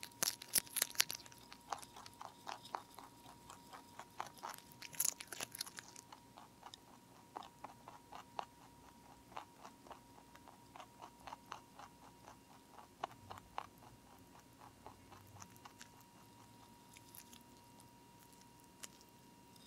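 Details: A lionhead–Dutch mixed-breed rabbit (Oryctolagus cuniculus) crunches steadily through broccoli, producing quick, crisp chewing bites in a rapid rhythm.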